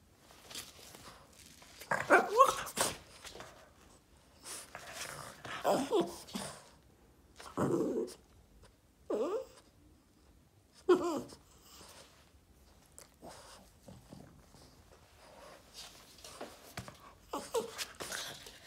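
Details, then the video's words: Boston Terrier named Yoda, indoors, throwing a tantrum and wanting attention: a run of whining, grumbling vocal bursts, each rising then falling, in uneven bouts about every one to two seconds, some short bark-like yelps mixed in, in a small quiet room. "Boston terrier dog Yoda throws a tantrum and wants attention!"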